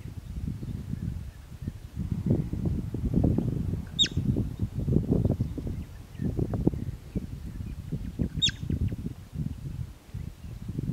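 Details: Bobak marmot uttering two clipped, high whistles roughly four seconds apart, each sliding sharply downward, while a low wind roar and faint rustling fill the background.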